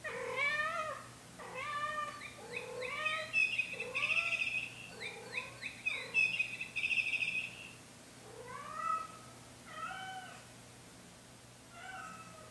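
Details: Chinchilla silver Persian cat named Lexus, filmed alone by hidden camera, carrying her toy bird and singing to get attention: a run of short rising-falling meows, some drawn out into longer wavering trills, then sparser meows near the end.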